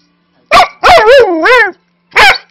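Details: Manchester Terrier mix, five years old, barking loudly while rough-housing indoors with a three-month-old husky lab mix puppy: harmless play that sounds aggressive. Bursts of drawn-out, wavering barks and growly yowls, a person telling the puppy no in between.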